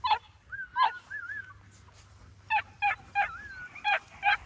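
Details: Several New Zealand Huntaway puppies trading short yelps with drawn-out, wavering whines between them, the yelps coming in a loose series of sharp bursts.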